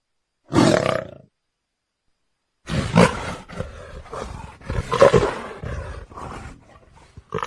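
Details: A leopard gives one short harsh roar, falls silent for about a second and a half, then resumes with a string of rough, breathy growling bursts of varying loudness.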